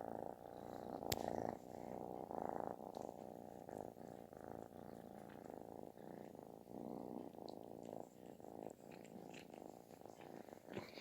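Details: Affectionate kitten purring as loud as snoring: a continuous, grainy rumble over eleven seconds that fades slightly toward the end, with a sharp click early on and faint rustling.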